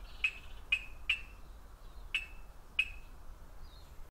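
An Ndola reed frog gives short, sharp clicking chirps at irregular intervals.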